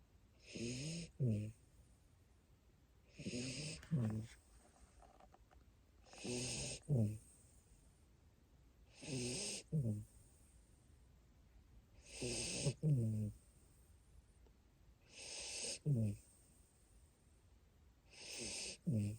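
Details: Snoring from a sleeping Siberian Husky puppy in Japan: regular rounds of breathy hiss and low, vibrating grunts, each inhale-exhale pair recurring roughly every three seconds across the recording.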